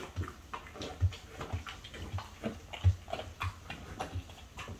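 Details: French Bulldog mother and daughter, aged five and four, eating chicken breast indoors: irregular wet chewing and smacking bites with low thuds, roughly every half second.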